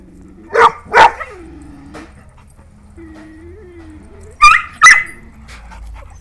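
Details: German Pointer and Dachshund exchanging barks: two sharp barks, a soft drawn-out whine sliding up and down in the gap, then two more high, ringing barks, with faint background hum.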